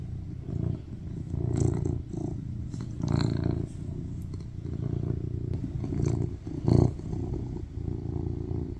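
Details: Affectionate male tuxedo cat purring on a lap during a cuddle; soft continuous low rumble with a few louder pulses and light rustling.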